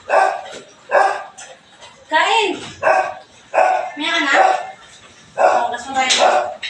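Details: Belgian Malinois barking in the morning while cleaning is under way: a run of loud, ragged barks and higher, yelping yips with rising and falling tones, coming every second or so, mixed with nearby voices.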